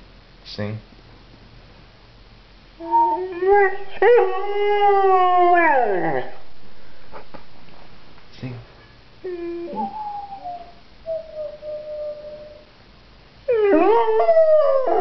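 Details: Pet pointer dog singing, drawn-out wavering howls rising then sliding down, several separate bursts with pauses between, a short yelp at the start, faint music in the background.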